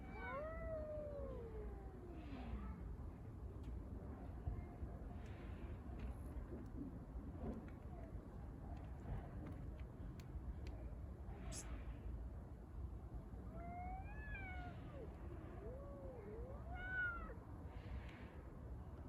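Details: Stray street cats fighting over a litter box give a long descending moaning yowl at the start. A quiet noisy stretch follows, then a few short arched wails and rising cries near the end, with constant low rumble throughout.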